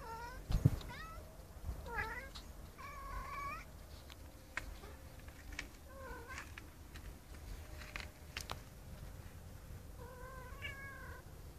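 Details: Tomcat (Felis catus) calling to a female with a series of drawn-out, wavering meows, described as if singing songs.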